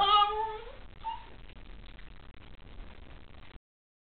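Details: A Shiba Inu waking up in the morning yawns while stretching, a squeaky, whining tone fading into breathy noise.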